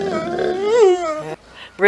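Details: A pet dog "talking" as if trying to tell its owners something: a long, moaning, tonal vocalization that rises to a peak and then falls away, followed by a brief pause and the start of another call.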